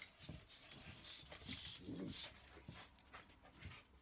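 Corgis bark in short, rough, irregular bursts, mixed with softer whining and huffing sounds.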